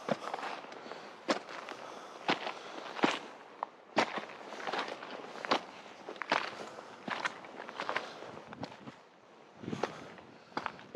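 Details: Crunching footsteps on a forest path, irregular sharp snaps of twigs and gravel, with no animal calls heard.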